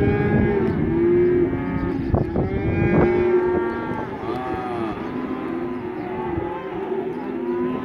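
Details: Black Angus male calves, part of a group of 67 weighing 180 to 190 kg, mooing steadily: overlapping drawn-out harmonic lows from several animals, some rising then falling, calling almost without pause.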